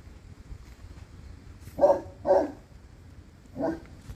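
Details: Deep barks from a black and tan Cane Corso named Mo Bounce: two close together, a pause, then a single bark, over quiet low rumble.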